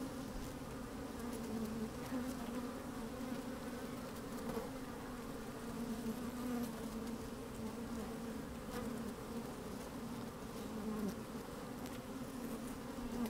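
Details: Inside an open beehive on a sunny day, honey bees moving about make a continuous low hum with wavering higher tones and brief buzzing swells, recorded with a microphone lowered into the hive; some wind noise.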